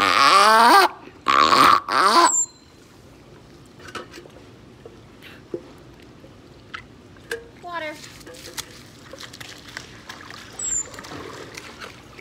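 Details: A captive grey seal, trained by keepers to give several vocalizations on cue, gives loud, harmonic, voice-like bursts when told to "talk", followed by quiet room noise.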